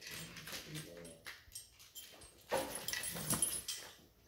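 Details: Two Weimaraner puppies, eight and nine weeks old, play keep away indoors with a rattle toy; short low grumbling growls come early, followed by sharp clattering rattle clicks and scuffling.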